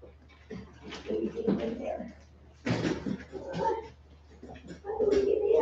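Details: Westie puppies aged 47 days, back inside after an outdoor break, give drawn-out, wavering whines and yelps in several bursts, ending on a sustained steady whine, with a low background hum.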